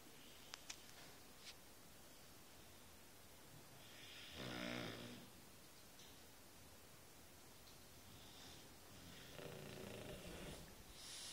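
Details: Laika, a five-year-old female Shar Pei, snoring while asleep indoors: a loud rasping snore swells around the middle, with a second softer, breathier snore near the end and faint clicks early on.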